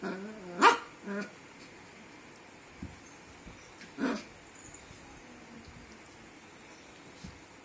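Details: A puppy lets out a brief whining, wavering yelp that ends in a sharp bark, then a second short bark about three seconds later. Otherwise a quiet indoor room.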